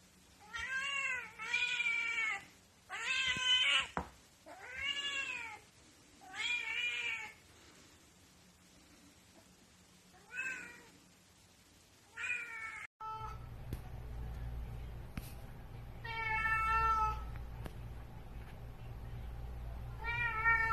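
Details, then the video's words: Grey Korat kittens meowing indoors: about seven clear, harmonic, rising-then-falling meows over the first twelve seconds, then an abrupt change of background followed by a few more drawn-out meows. "Cute Korat Cat Meowing"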